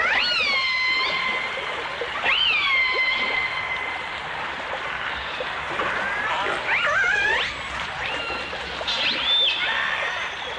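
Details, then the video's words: From a 1989 stereo recording of dolphins and orcas: sustained whistles that rise sharply then hold steady, with rich overtones, followed by quicker wavering and twisting notes from more than one animal. "The Enchanting Sounds Of Dolphin Song (Dolphins & Orcas)"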